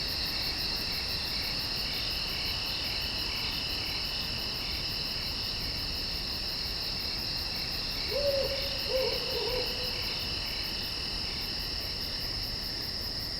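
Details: A dense night chorus of insects in the woods, steady high trilling bands with pulsed chirps, plus two low owl hoots.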